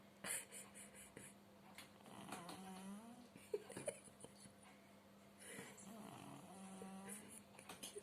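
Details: Sleeping house cat Pushok, said to be unable to purr, snores indoors; short wheezy, rasping breaths arrive in uneven bursts over a constant low hum, with faint whispering in places.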